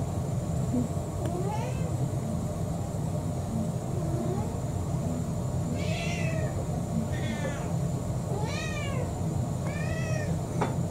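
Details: Kurumi, a roughly four-year-old orange tabby mixed-breed house cat, meows while begging for dinner: a few short arched meows, several of them high and bending down, spaced one to two seconds apart over a steady low indoor hum.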